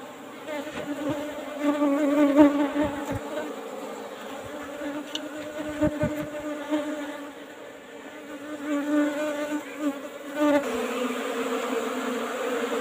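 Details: Asian honey bees (Apis cerana) kept in an old-style hive box, during a honey harvest: a steady low hum with strong harmonic bands that swells and fades, broken by a few sharp knocks of handling around the middle.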